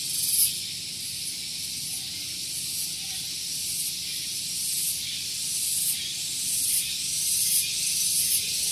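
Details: Cicadas (tonggeret) singing loudly on a morning at Gunung Geulis, Bogor, West Java, near a vehicle parking area: a dense, shrill, hissing drone, high-pitched and continuous, with soft pulsing surges roughly every second.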